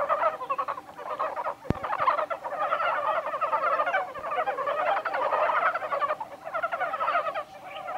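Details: Many montane brown frogs calling together at Kawaguchiko Field Center, Japan, 1 March 2020; fast, clucking pulsed croaks pile up into a busy chorus with brief lulls, and a single sharp knock is heard partway through.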